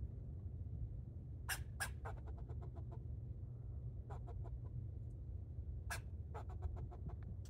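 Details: Squirrel barking while jumping from tree to tree: two loud, sharp chucks, then quick trains of short clicking barks in bursts, over a steady low rumble with a person talking softly nearby.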